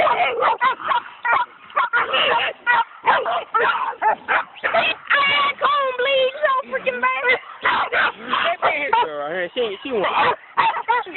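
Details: Coon dogs bay at a raccoon, a dense, overlapping chorus of rapid barks and drawn-out wavering bawls, bursts coming in quick succession with brief gaps, some calls bending up and down in pitch.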